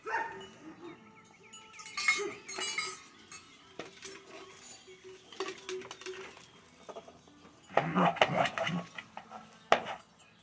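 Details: Three German Shepherd puppies, two liver and tan and one black and tan, giving thin high whines and squeaky yelps in short bursts, mixed with a woman's voice and clattering noises.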